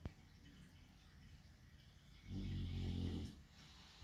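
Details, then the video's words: Chunky dog fast asleep, giving a single deep, rumbling snore of about one second, a rasping low burst set against quiet indoor room tone before and after. "Just 4 minutes of a chonk dog sleeping with occasional snoring"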